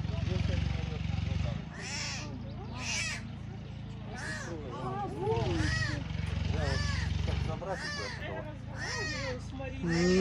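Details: Abandoned tiger cubs at the Taigan park in Crimea call again and again with short arched, mewing wails. Keepers coax them along, and a steady low rumble of machinery runs beneath.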